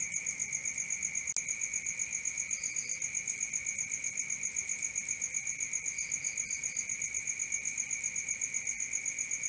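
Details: Crickets at night produce a sustained high drone and rapid pulsed chirps around four per second; a sharp click breaks in early, and a few faint short higher notes sound twice later.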